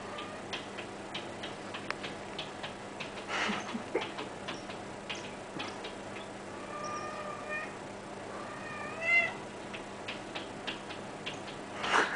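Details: A cat that wants to go out, giving a few drawn-out, wavering meows in the middle, one sliding up and down, among quiet ticks and clicks and a steady low hum indoors.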